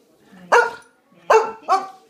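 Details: Bobtail Boxer pup about nine months old barking three times, with short, clear, harmonic woofs, the last two close together, in a quiet room after its owner asks about dinner.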